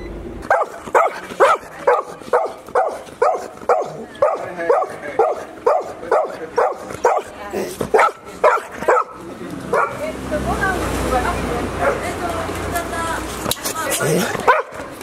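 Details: Golden Retriever puppies, 73 days old, at a kennel in Japan, filmed in July 2018: about sixteen sharp, high yipping barks repeated roughly every half second for nine seconds, then overlapping excited yelps and whines over a rushing background.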